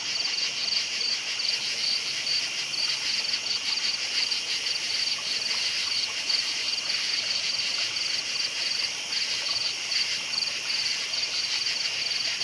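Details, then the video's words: Night chorus of crickets: continuous high-pitched chirps pulsing quickly and evenly, many callers overlapping into a constant buzzing wash without breaks. "Night Sounds Crickets Chirping"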